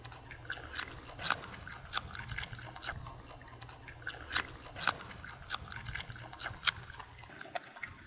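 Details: A wild but people-accustomed groundhog (marmot) on an unfenced Alpine mountain pasture, hand-fed carrot, crunches through it with sharp, irregular bites and wet chewing noises; tree-felling work was going on nearby.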